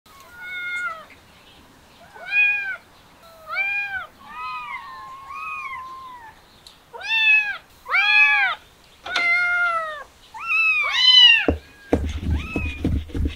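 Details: Kittens excited by the smell of chicken, meowing loudly and insistently: a run of harmonic, arched meows about one per second, some rising then falling, several overlapping, with a brief clatter at the end.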